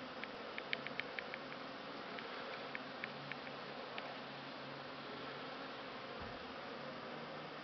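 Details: Honey bees on Christmas Eve, December 2015, giving a steady low droning hum under a constant dense hiss. Scattered faint ticking clicks cluster in the first half.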